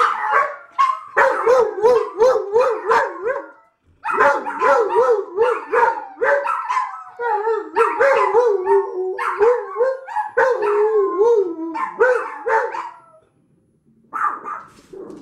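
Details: Lab mix and two small house dogs in a group howling session at a package delivery, wavering, yodel-like howls rising and falling rapidly, broken by short barks, with a gap near the end before a final howl.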